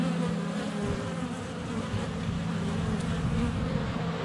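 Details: Close-up hive entrance of honey bees on a sunny February day, GoPro Hero 7 Black under a foot away with bees constantly flying around it: an unbroken, rough, low-pitched buzzing drone.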